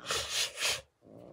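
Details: A sharp, forceful hiss from Kali the domestic cat, delivered as three pulsing breathy puffs within under a second, then quiet.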